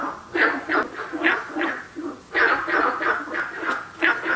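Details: Harsh, barking croaks of Günther's frog recorded at Nanhegu, delivered in quick uneven bursts of two or three, with a soft low rumble underneath.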